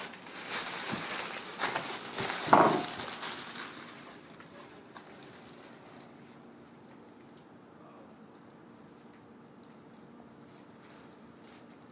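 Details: Loud crackling and crushing of a plastic bag fills the first four seconds, then fades to near silence with faint scattered ticks.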